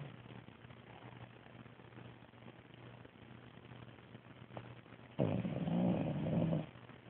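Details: French Bulldog snoring, 11 December 2010: after several seconds of soft breathing, one loud, harsh, vibrating snore lasts about a second and a half.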